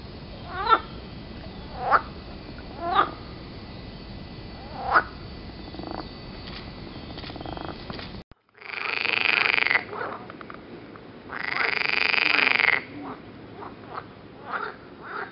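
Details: Green frogs croaking near Turku, Finland: short sharp croaks roughly once a second at first, then after a brief gap long, loud, rasping bursts lasting one to two seconds, with softer croaks between.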